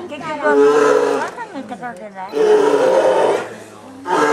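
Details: Two captive twin male polar bears at Obihiro Zoo, Japan, threatening each other on a February 2010 morning, one keeping the other from a yellow tube: two long, harsh, harmonic roaring growls separated by a brief, quieter, rumbling pause.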